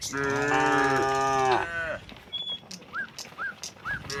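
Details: A single long moo from one of dozens of tame cattle heading out of the barn to green pasture lasts almost two seconds, then fades into repeated short, upswept bird chirps.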